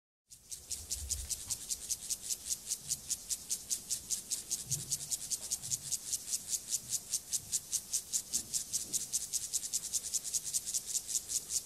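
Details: Gomphocerus sibiricus, an acridine grasshopper, stridulating during sexual behaviour: a steady train of high, hissy pulses repeated about two and a half times per second throughout, with faint low rumbles beneath.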